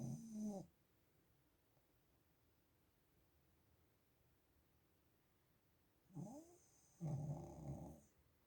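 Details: Zhorik the pug snoring: a short rough snore at the start, then after a long quiet gap a rising snort and a longer buzzing, rattling snore near the end.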